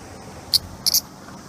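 A Japanese cicada gives a few short, sharp, high-pitched buzzy bursts in quick succession.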